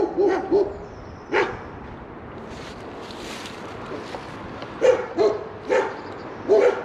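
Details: Two large German Shepherds guarding a tree swing near Coaltown of Balgonie, Fife, bark in short, deep, gruff bursts, often in quick pairs, with pauses between.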